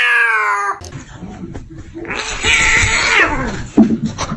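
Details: Kitten gives a short harmonic meow at the start, then a stretch of rougher, noisy sound with scattered clicks and rustling.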